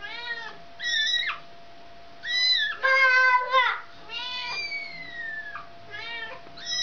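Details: Indoors, a mother cat wanting her kitten back meows again and again: a string of loud, harmonic calls, some rising then falling, one long drawn-out wail sliding down, with short quiet gaps between.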